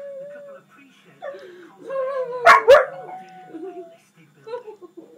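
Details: Two dogs, a pug and a husky, howling together indoors: wavering tonal howls around mid pitch that slide and bend, with a loud burst of overlapping cries near the middle and softer whines toward the end.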